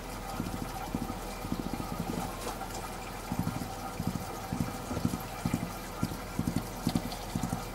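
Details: Mongolian gerbil drumming its feet: short bursts of dull, low thumps, each burst a quick flurry of taps, recurring roughly twice a second over a steady electrical hum.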